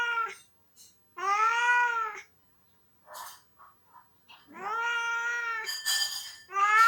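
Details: Crying pet cat thought to be missing his owner who is on vacation, giving long wailing meows that rise and fall, separated by short chirps and quiet gaps, ending in a loud higher cry.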